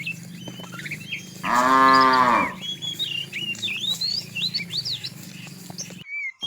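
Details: A cow in a tame herd wandering far in search of food gives one loud, drawn-out moo lasting about a second. Many small birds chirp and twitter steadily in the background.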